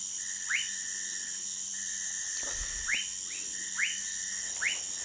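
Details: Orinoco lime tree frog recorded near Manaus, Brazil: five quick rising chirps, irregularly spaced, plus one soft thump midway, all over a persistent shrill insect buzz and a steady tonal background.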